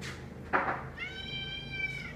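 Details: Kanaya, a female pet cat, meows indoors to demand that someone sit with her while she eats: one drawn-out, clear, harmonic meow holding a steady pitch for about a second, after a short thump, while a person says no.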